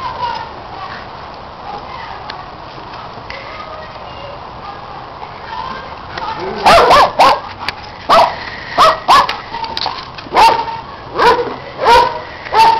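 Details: While Orphy and Sandy chase a red Kong toy, Peg watching and next-door dog Riley joining in, a quiet stretch gives way after six seconds to a burst of sharp, irregular barks and clattering thuds.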